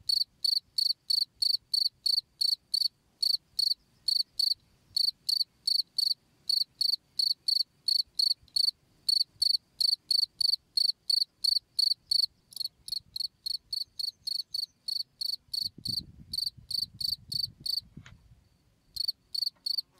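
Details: Cricket calling for use in tutoring songbirds: a long, steady run of high, sharp chirps, roughly three per second, with a soft low rumble of background noise toward the end and a short break near the close.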